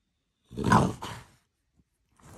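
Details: French Bulldog being fed, giving one short, rough, throaty grunt that swells and fades within about a second, followed by a softer tail and then near silence with a faint rustle.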